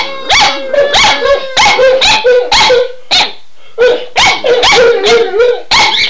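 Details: Set off by their owner saying "Run Guy run", two household dogs howl and bark excitedly; bending, mid-pitched howl notes alternate rapidly with sharp barks, one brief lull near the middle.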